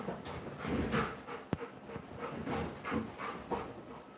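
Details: Labrador Retriever named Coco, a pet dog indoors, panting in quick, soft, rhythmic breaths about twice per second, fairly faint, with one sharp click midway and low room noise.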